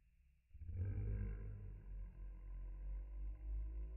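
A Lhasa Apso's howl, slowed right down into a deep, drawn-out, rumbling moan.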